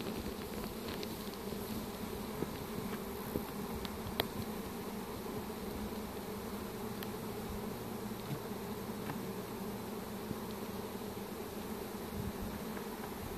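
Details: Honey bee swarm clustered and being captured with a pole bucket on 25 March 2015; a continuous, even droning hum of countless bees runs throughout, with occasional small clicks and knocks from handling.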